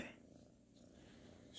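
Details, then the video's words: Sir Salmon, a sleepy ginger tabby kitten, purring while cuddling, recorded 12/19/2019; a steady low rumbling purr runs through, with brief soft noises at the start and end. "SLEEPY KITTEN PURRING"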